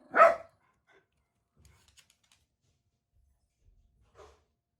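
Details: Jack Russell Terrier, one of four kept together, barking indoors while waiting for its owner to come home; one loud sharp bark at the start, then near silence with faint shuffling and a short, softer second bark near the end.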